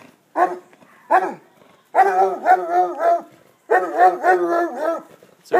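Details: A basset hound gives two short opening barks, then long quavering bays that rise and fall in pitch, grouped in bursts of one to one and a half seconds with quiet pauses between.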